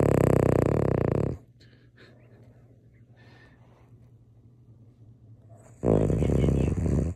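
A Cavalier King Charles Spaniel snores with loud, rasping, low breaths separated by a quiet pause.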